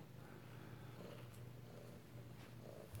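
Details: Kittens at home in Alabama, filmed close-up indoors on 2/7/18, purr with a low, steady rumble; a woman talks to them softly throughout.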